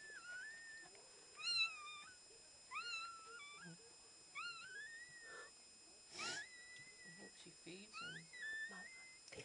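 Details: Newborn Chihuahua puppies just after birth, part of a litter of three born to their mother: thin, high squeals that rise and bend, repeated in short bursts several times over about ten seconds, with faint rustling between cries.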